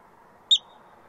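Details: A yellow-bellied marmot on rocks in Rocky Mountain National Park, Colorado, looking and listening, gives a single sharp, high chirp, brief and clipped, over a faint background hush.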